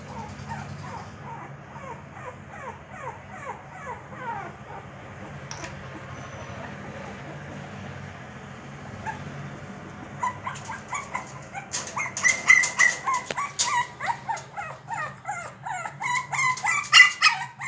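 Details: A Shih Tzu puppy trying to get a door open gives rapid falling whines, then sharper yips, mixed with scratching and clattering against the door.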